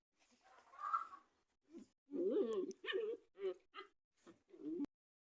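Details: Playful German Shepherd puppies in a play-biting game make a run of squeaky whimpers followed by rough, wavering growl-yips and short barks, about six bursts in quick succession, with no other sounds behind them.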